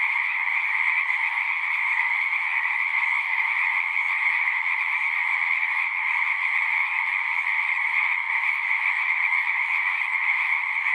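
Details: Frogs in full chorus at a pond in a horse pasture, recorded with a Zoom 6: a dense, unbroken wall of trilling and peeping, steady and high-pitched, with no pauses and no other clear sounds.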